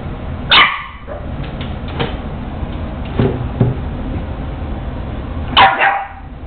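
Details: Boston Terrier puppy Lulu, a female pet, barking at her own reflection in a mirror; two sharp barks, one near the start and one near the end, with a few softer yips between over a steady indoor hum.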